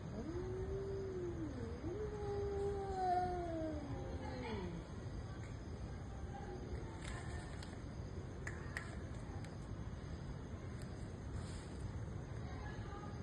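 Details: Cats fighting: a wobbling, moaning yowl that rises, breaks briefly, then slowly falls away over about five seconds, leaving only quiet background hiss with a few faint clicks.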